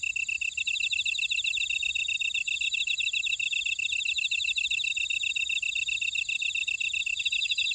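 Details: High, shimmering trills from insects in a buckwheat field in Ora-dong, Jeju City, South Korea, steady and unbroken, with quick regular pulses running through and an insistent piercing tone above.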